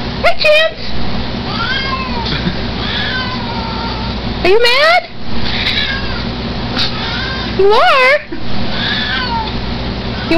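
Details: Chance, a Siamese mix cat who is not keen on the camera, meows three times, each call sliding steeply upward, while a woman chats to him between the cries.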